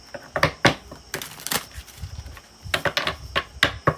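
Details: Rapid clicking of keys being typed on a keyboard in a small room, with no animal sounds. The taps come in quick irregular bursts separated by brief pauses.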